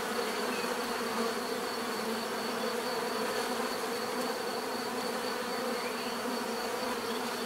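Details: Continuous swarm hum from many bees, a natural buzzing offered as relaxation sound, with layered droning tones holding level throughout and a thin steady high whine.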